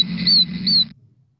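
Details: In Southwest Florida, an oak toad calls with its vocal sac inflated like a balloon, giving high, thin peeps that sound remarkably like baby chicks.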